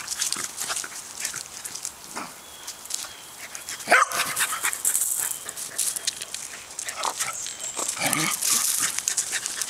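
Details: A three-year-old female Pembroke Welsh Corgi in a back yard gives short, sharp barks and yips, trying to get an old male corgi to play.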